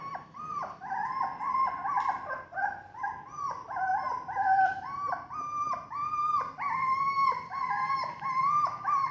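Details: Several golden and black Labrador Retriever puppies, kept for sale in Vijayawada, Andhra Pradesh, India, whine nearly nonstop in overlapping, high, nasal cries that rise and drop in pitch with no pause.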